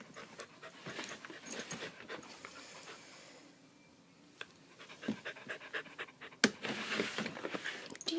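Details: Candy, a pet dog frightened by a fire alarm's low-battery chirp, pants in fast, rhythmic breathy bursts while being soothed indoors; a soft human voice murmurs comfort between the breaths.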